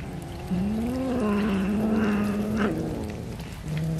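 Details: Cat fed fish, one long wavering meow lasting about two seconds then a short second call, over a rain-like hiss.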